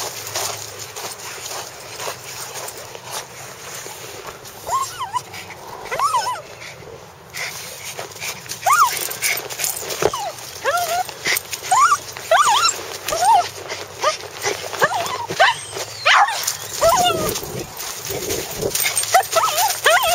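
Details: Bulldog out in the snow, giving a long run of short, high whining whimpers that rise and fall, about eighty a minute in bursts, over steady crunching and rustling noise.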